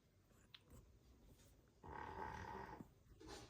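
A sleeping Rottweiler gives a raspy, rumbling snore, one long breath loud against a quiet room.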